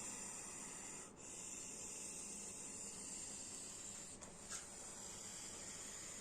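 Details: Snake hissing up close: a steady, airy, high-pitched hiss that breaks off briefly near 1 and 4 seconds before resuming, with no other clear sounds.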